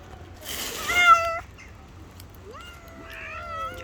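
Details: Street cats fighting because they cannot share the same food: a harsh, noisy wail followed after a pause by a rising, then slowly falling meow, with a faint second voice overlapping near the end.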